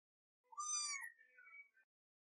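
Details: Young female kitten, hungry and frustrated because she cannot get milk out of her bottle, gives a short rising-then-falling meow followed by a softer, wavering tail; a thin high overtone runs above, with no other sounds.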